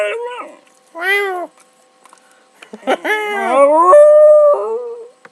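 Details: Pet dog howling in response to its owner meowing: a short wavering cry at the start, a brief rising-falling note near one second, then a longer howl from about three seconds holding a steady, slightly rising pitch before dropping away, with overlapping vocal sounds.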